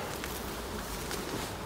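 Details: Honey bees at an open hive during an end-of-summer inspection on 22 September: a dense, steady buzzing hum fills the clip, with a few soft taps.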